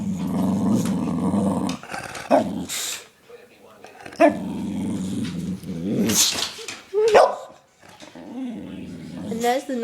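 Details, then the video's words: Lennox, a pet dog hyped on sugar after stealing a belVita, makes long low rumbling growls broken by sudden squeaky yips and whines, an excited jumble of noises over several seconds. "Lennox's funny noises"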